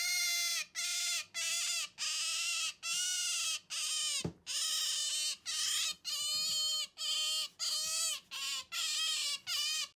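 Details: A female Asian small-clawed otter refusing to give up a stuffed toy gives a fast run of high, whining squeals, about one every three-quarters of a second, each bending down then up in pitch.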